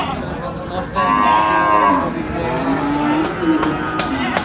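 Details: Cattle at the Hazratpur cattle market (gorur haat) in Bangladesh, 2025, in the Eid season: a drawn-out harmonic moo lasting about a second, then a lower, shorter moo, over sharp knocks and busy market background.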